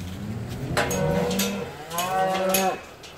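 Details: Limousin cattle during their winter move from the polder grazing land in the Hunzedal to a deep-litter barn, as rising water floods the stream valley; two long, low, droning moos, each rising into a louder harmonic bellow, with steady background noise.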